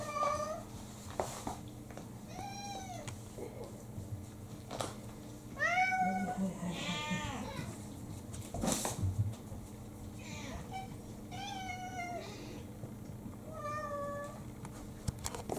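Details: Several household cats demanding their morning food soon after waking: repeated short and medium meows, often rising then dipping, in irregular bursts throughout, with a sharp thud, household rustling and occasional human talk.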